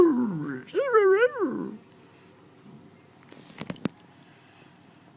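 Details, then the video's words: While eating, a kitten gives a low wavering moan followed by a higher rolling, wobbly cry, then falls quiet apart from a few sharp clicking taps. "Cat makes funny sounds while eating"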